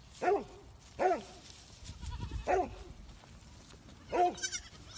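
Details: Young goats at play give four loud, quavering bleats, each rising then falling, spaced roughly a second apart, with a soft rumble of movement between them.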